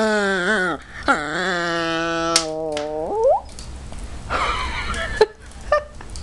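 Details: Maltese dog talking in a long, drawn-out moaning wail: held steady notes that break and slide, then a sharp upward squeal, followed by softer scattered noises indoors.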